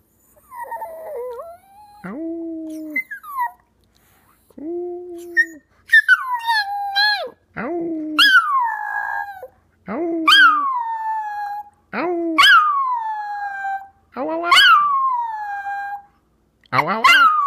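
A Chihuahua gives high, wavering howls, each sliding down in pitch and repeated every couple of seconds.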